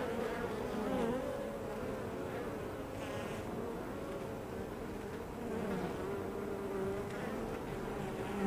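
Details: Busy drone of honey bees at their hive entrance, a continuous layered hum whose pitch bends as individual bees fly past. The buzz briefly dips, then swells again near the end.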